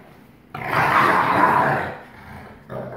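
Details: On 1 August 2018 the black-phased father Astro, 44% wolf, shows dominance over his 56% wolf son Kandor in play: a single loud, harsh growl lasting over a second, fading out before a softer rumble.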